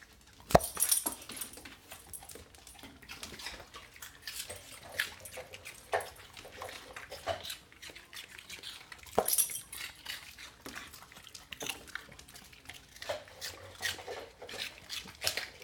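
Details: A rescue dog crunches and chews celery in sharp, irregular bursts of crisp snapping.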